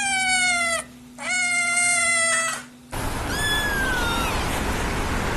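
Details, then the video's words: Kitten meowing: two long steady flat mews, each about a second, rich in overtones with a slight fall at the end, then a thinner wavering mew over loud hiss. "Cute Newborn KITTENS MEOWING Baby Kitten Meowing Sound Effect"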